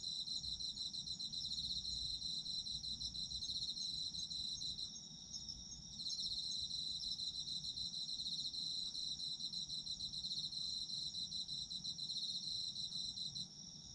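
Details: Autumn insect song used for relaxing sleep sounds, a constant bright ringing trill with fine rapid pulses; one caller pauses for about a second near the middle before the chorus swells again.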